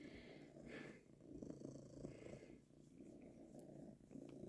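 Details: Tomcat purring while being stroked, which his owner likens to a purring machine: continuous low, rumbling, pulsing purr throughout, with soft rustling of stroking.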